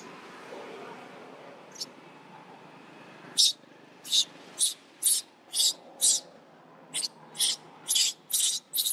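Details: Young monkey bitten by its displeased mother gives a steady run of shrill, rasping squeals roughly twice a second after a quiet start with faint background murmur.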